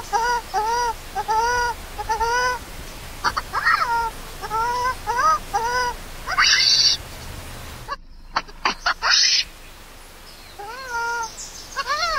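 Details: Hungry for its mother's milk, the lone newborn monkey Lori cries loudly and persistently: many short, arched wails in a steady stream, then a brief break and a final cluster of rising, bending cries.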